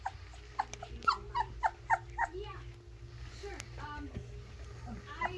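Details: Playing Alaskan Malamute puppies, Velma hiding: a quick run of six or seven short, squeaky whimpering yelps in the first two seconds, then quieter low murmurs and a final thin squeal, over a steady low background hum.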